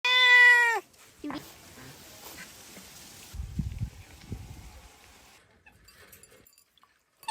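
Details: Domestic cat outdoors in nature giving one loud, clear meow under a second long, with a rising then steady tone rich in harmonics, followed by quiet rustling, low thumps and a brief spoken remark.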